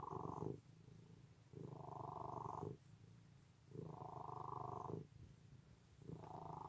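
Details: Deep rhythmic purr from a cat, three long vibrating exhalations of about a second each separated by quieter rumbling inhalations, steady and close.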